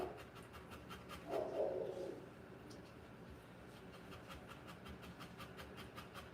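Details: Rottweiler giving birth to puppies; rapid, steady panting breaths run through the recording, broken near the start by one louder whining burst.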